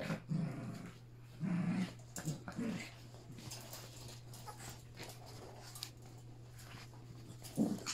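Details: Yorkshire Terrier puppies, three together with adults, playing indoors; short low growly grumbles in bursts near the start and end, with a steady low hum throughout.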